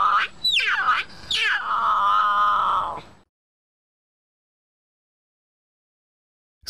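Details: A North American cougar (Puma concolor) gives high, harmonic cries, two quick falling squeals and then a longer held wail.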